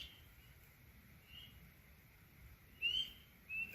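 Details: Spring peeper gives short, high, whistled peeps that slide upward, spaced a second or so apart, near a cabin in early spring, heard unusually early for the species this year.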